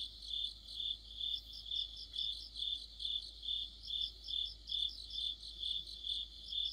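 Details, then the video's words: Insect orchestra of crickets and companions in mid-autumn beneath a streetlamp; even high chirps beat regularly about twice per second while a thinner, quicker trill weaves above them. "가을의 한 복판 곤충들의 합창"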